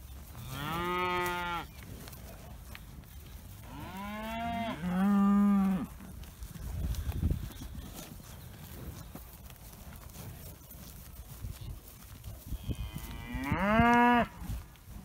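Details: Dexter cattle after being let through a gate to new grazing, still calling: three separate moos with rising then falling pitch at the start, middle and end, quieter rustling and faint background noise between.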